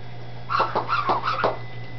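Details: Dachshund puppies in Campinas, São Paulo, described as happy in their new little house: four short, bright yips in quick succession across about one second, over a steady low electrical hum indoors.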